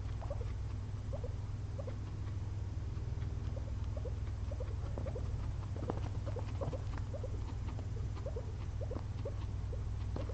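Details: Two pet guinea pigs napping after a long day of munching frozen blueberries; short rising squeaky notes come in quick irregular runs, about four a second, over a steady low hum.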